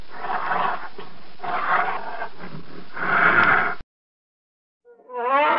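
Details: Wild polar bear producing a series of rasping growls in three surges, the last loudest, then a sudden cut to silence and a short wavering higher-pitched cry.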